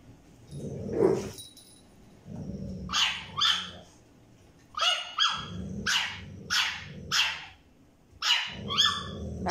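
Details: French Bulldog puppy trying to get a toy from a Staffordshire Bull Terrier gives bursts of shrill yips and barks, roughly one every second, alternating with deep growling rumbles.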